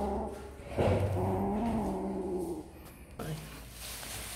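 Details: Funny kittens eating snacks produce a drawn-out, nasal meow with rich harmonics lasting almost two seconds, followed by a shorter, fainter mew near the end over low room hum.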